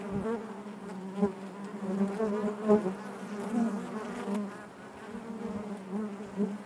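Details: Continuous low hum from bees in their hive, layered with faint higher overtones. The buzz pulses gently, with small swells roughly every second.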